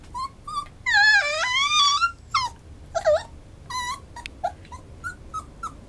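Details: Schnauzer giving high, whistling whines that bend up and down, with a long wavering stretch of rising and falling cries in the middle, then short yelping whimpers spaced through the rest, fairly loud and close.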